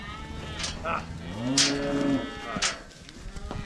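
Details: Cattle being moved home on a farm low harmonic moo rising and falling around the middle, with scattered knocks and clatter and a person's voice nearby.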